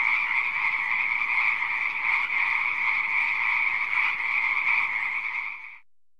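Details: Pond frogs croaking in a crowded chorus, a rapid pulsing buzz of overlapping calls at a steady level that fades quickly to silence near the end.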